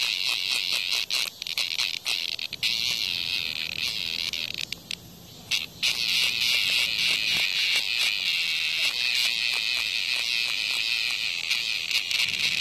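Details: Cicada under attack by a hornet in front of a house: a loud, dense, high buzz runs almost without break, dropping out briefly near the middle, and is peppered with sharp clicks and scraping ticks from the struggle.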